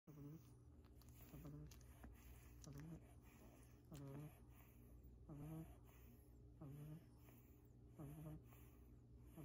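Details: Two sleeping black pug puppies snore softly indoors, short throaty snorts with a nasal buzz recurring roughly every second and a half, over a faint steady background hum.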